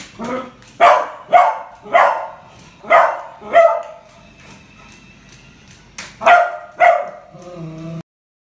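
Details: Beagle puppy named Kuttus, scared by a newly bought puppy toy, gives sharp, high yappy barks: five in quick succession, a pause of about two seconds, then two more. A faint steady tone hums underneath.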